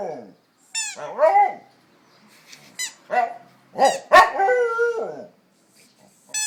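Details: Pet dog makes a jumble of quick yelping barks and short whining howls, five or six bursts in about six seconds, some sliding downward, one ending in a held steady tone.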